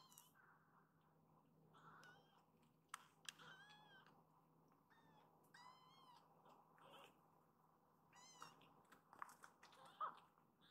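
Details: Rescued foster kittens indoors, after a nap seeking their mother cat; several thin, high arched meows scattered through the clip over a steady low hum, with soft clicks and rustling.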